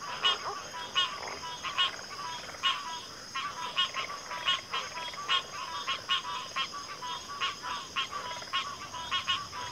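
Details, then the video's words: Frogs in full chorus, rapid clicking, rattling croaks packed closely together with fairly even loudness throughout, backed by a persistent high-pitched drone. "Frog Chorus"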